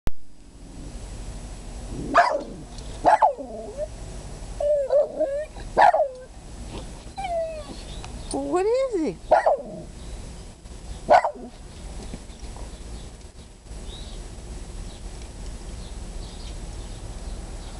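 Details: Jack Russell Terrier reacting in fear to a ceramic rabbit placed on a deck: a series of short, sharp whining yelps and barks with rising and falling tones, clustered between two and eleven seconds, then quiet background.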